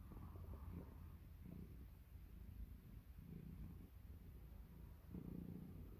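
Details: Domestic cat purring while getting ready for bed; a low, continuous rumbling purr with gentle swells in loudness, steady throughout.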